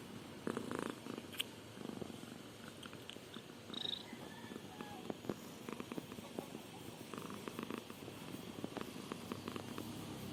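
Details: Domestic cat purring and yawning indoors: a soft, steady rumbling purr with fine rapid pulsing, overlaid by scattered brief clicks and small rustles through the recording.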